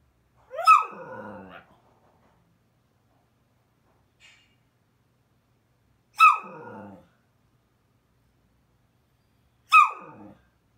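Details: Bored whippet complaining indoors: three loud, sharp whining yelps, each a high cry sliding down into a rough, grumbling tail, spaced about three to five seconds apart with silence between.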